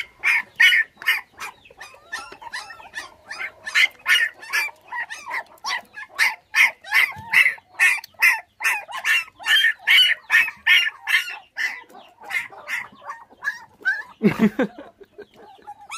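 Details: Bottle-fed orphan puppies, five in the litter, left motherless at six days old after dog thieves took the mother. A steady run of sharp, high yelps repeats more than twice a second, with one low thump near the end.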